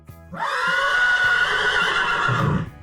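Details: Horse neighing, played as a quiz answer: a bright, shrill whinny held for about two seconds with a slight quaver, then fading out.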